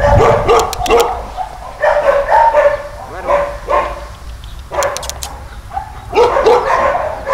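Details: Caucasian Shepherd-type male dog, about nine years old, at a municipal animal shelter in Środa Wielkopolska, Poland: deep, full barks in quick bursts of two to four, with pauses between bursts and voices nearby.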